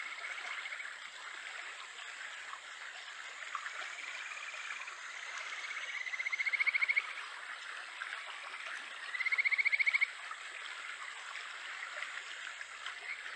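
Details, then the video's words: Kajika frog, the Japanese stream frog, calling in July beside a stream in Japan: two loud, rising, trilled whistles around six and ten seconds, fainter whistles earlier, all over a steady rush of flowing water. "カジカガエル 鳴き声 7月"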